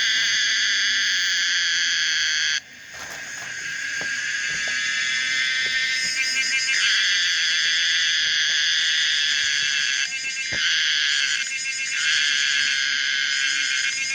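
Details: Pomponia linearis cicada, described as common, singing a loud, continuous buzzy drone with a stacked band of tones, briefly cutting out near 2.5 seconds then resuming, with pulsing shifts in texture and short dips around 10 and 11.5 seconds.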